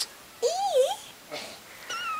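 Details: Kitten indoors, named in Sechelt, giving one clear rising-then-falling meow with a wavering middle, followed by a softer second sound and a thin high tone near the end; a woman's voice talks to it before and after.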